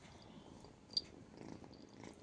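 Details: Domestic cat indoors, just woken from sleep at half past eight in the morning after a scuffle on waking; a soft, low, steady rumbling purr with one brief sharp click midway.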